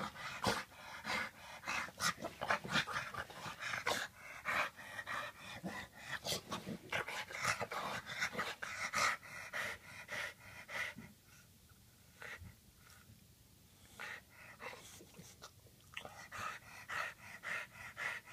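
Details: Freshly bathed bulldog panting indoors: a run of rapid, rough breathy puffs at an uneven rhythm, fading to a quieter lull midway before the breathing picks up again.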